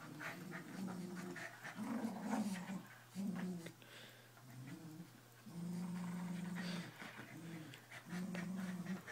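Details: Playful growls from two Keeshonds in a tug-of-war game: deep, steady rumbles lasting one to two seconds each, repeated several times with brief pauses and soft background rustling.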